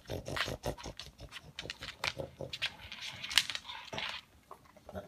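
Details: Pug sniffing out leftover food pellets indoors, its noisy snuffling likened to a vacuum cleaner: quick breathy sniffs and snorts in uneven bursts, one sharp loud snort partway through.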